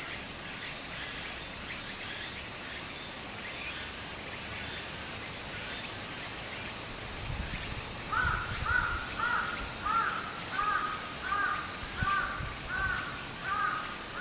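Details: Japanese summer cicada chorus by a small stream, an unbroken high shrill drone; about halfway through a series of short hoarse caws repeats roughly twice a second over the steady insect buzz.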